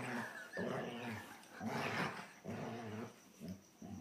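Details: A younger male German Shorthaired Pointer, Copper, pesters older Zoie: low, grumbling growls breaking into whiny, moaning notes during rough play, owner urging Zoie to get him.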